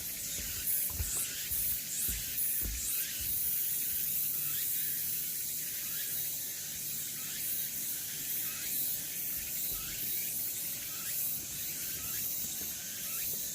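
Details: Summer cicada chorus on Namwon's Deogeumsan Solbaram-gil path, 16 August 2019, a steady sizzling high drone with rhythmic surges, a faint low hum and occasional low knocks below.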